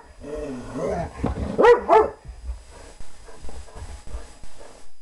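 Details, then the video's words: German Shorthaired Pointer playing and chasing with another dog named Buster; a whiny, rising-and-falling vocal burst with harmonic whimpers and a couple of sharp barks early on, then quieter scuffling and rustling noises. "German shorthair pointer just playin around"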